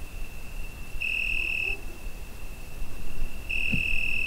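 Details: Cricket singing on a summer night, recorded on a Zoom H5: a steady piercing high tone punctuated by two louder, ringing bursts about two and a half seconds apart, with a brief faint low sound near the end.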